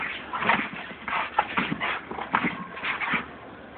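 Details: Protective two-year-old female German Shepherd raising the alarm as a woman sorts recyclables; quick run of hoarse barks and whimpering yelps, closely spaced over a few seconds.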